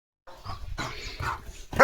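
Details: Domestic German Shepherd barking as it runs about the yard in the morning; a few short, harsh bark bursts roughly half a second apart, ending in a louder, sharper bark.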